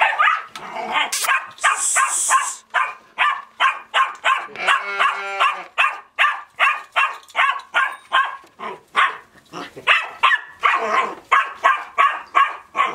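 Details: Dog at a sheepfold barking at the sheep, recorded in 2020: a rapid, sustained run of sharp, bright barks, roughly two to three per second, with a brief whining tone midway through the series.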